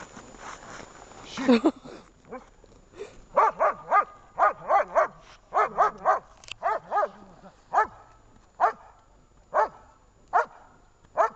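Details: Shepherd dog Vesta barking in protection training with rubber and search work, 10 February 2019: loud, harmonic barks, at first in quick bursts near three to five seconds, then single barks about once a second, with voices early on.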